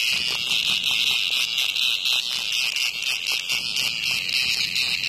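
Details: A cicada attacked by a hornet outside a house gives a dense, shrill buzzing drone, steady and unbroken, with faint flickering pulses running through it.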